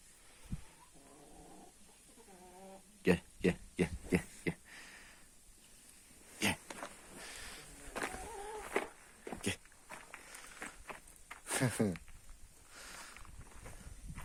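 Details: Kangal puppy put out in the sun, a new companion arriving for another dog named Tombik; short high whines with wavering harmonic tones in two bursts, among sharp knocks and clatter, with a person calling the dog nearby.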